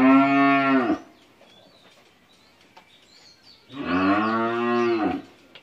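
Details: Eleven-month-old Holstein Friesian heifer calf at a dairy farm in Bhangura, Pabna, Bangladesh, giving two long, steady, deep harmonic moos, each about a second, roughly three seconds apart, with faint bird chirps in the quiet gap.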